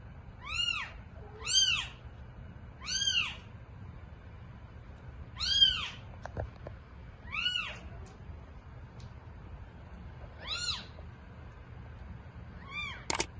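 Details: Domestic cat scene with eight newborn kittens: about eight bright arched mews in irregular bursts, some paired, with gaps between, and a few soft knocks and a sharp click near the end.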